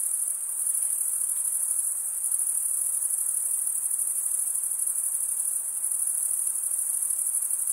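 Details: Crickets, males stridulating by running one wing across the toothed vein of the other, form a steady, dense high-pitched trill that pulses rapidly without a break for the whole stretch; no other sounds are noticeable.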